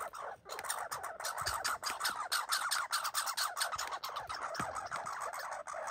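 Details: Red squirrels fighting and boxing, one of them injured, give a rapid run of harsh barking chatter, buzzy pulses repeated about one and a half times a second with a few brief gaps.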